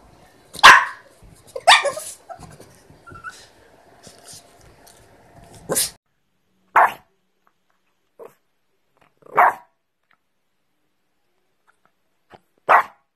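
A small dog, a Pekingese, lets out short, sharp barks, at first close together and then singly every few seconds. Faint household sounds and soft background noise come through during the first few barks.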